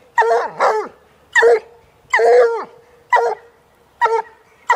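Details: Walker hound female, aged one, baying at a caged coon on her second sighting of one: paired and single bawling barks that bend downward at the end, spaced about a second apart.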